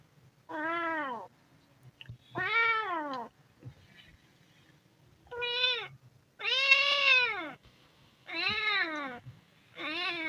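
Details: Hungry kitten giving six bright, strained meows, each arched in pitch and strong in upper harmonics, spaced about one to two seconds apart over a low background hum.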